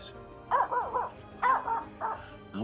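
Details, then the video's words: A female Finnish Spitz hunting dog gives three quick bursts of high, ringing barks, about half a second apart, at small birds up in trees in woods on a frosty, humid morning. Her owner says she has never done this before. "Barking at Small Birdies"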